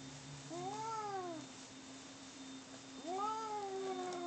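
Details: Two domestic cats in a fight inside: two long, wavering yowls, each swelling then sinking over about a second, separated by a pause, over a steady low hum.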